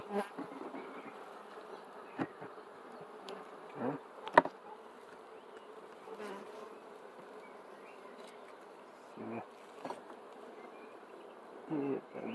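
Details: A softer, thinner buzzing of bees, interrupted by occasional bumps and handling knocks, one sharp crack near the four-second point, and brief louder bursts near the end.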